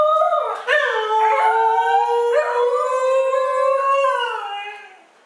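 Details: Two dogs, Mishka and Laika, arguing: a drawn-out, wavering howl-like vocalization with strong harmonics, rising and dipping in pitch with brief yips and breaks, running continuously for about five seconds before fading out.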